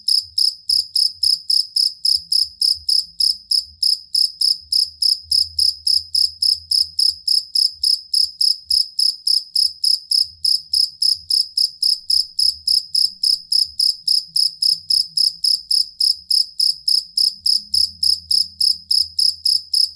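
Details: Cricket chirping for songbird training, also said to repel rats. About 70 shrill chirps follow each other evenly at roughly three and a half per second. A soft low rumble comes and goes underneath.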